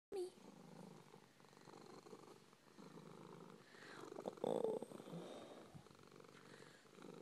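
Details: Suzie, a pet cat described as a lover, purring in a steady low rumble with breath-timed pulses; a brief brighter vocal sound rises near the middle, and a woman speaks affectionately just after.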